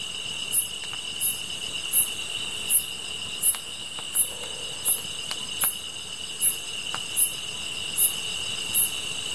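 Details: Night insect chorus alongside a campfire: a sustained shrill two-tone buzz, regular sharp chirps about every 0.7 seconds, and several faint crackling snaps from the burning wood.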